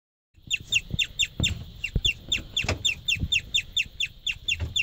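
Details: A pregnant white guinea pig chirps just before feeding, a fast, steady series of high, bird-like notes with soft knocks underneath.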